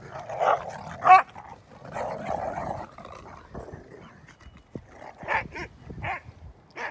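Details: German Shorthaired Pointers, happy to be out in light snow, bark, yip and growl loudly as they play together.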